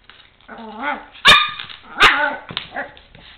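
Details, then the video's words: Four-month-old Chihuahua puppy playing with a toy truck, giving a rising whine that breaks into two sharp high barks about a second apart, then softer whimpering yips. "My Chihuahua puppy acting silly and barking."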